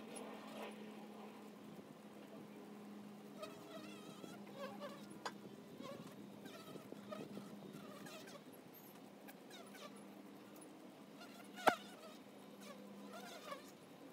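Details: Honey bees at the hive entrance: a steady low droning hum persists throughout, with faint chirping birds in the background and a sharp click near the end.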